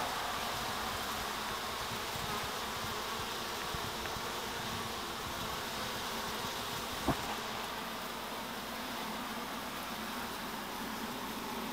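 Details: A honey bee colony housed on top bars in a half whisky barrel gives a continuous, even, dense drone, a broad steady hum without breaks. A single sharp knock breaks through briefly partway along.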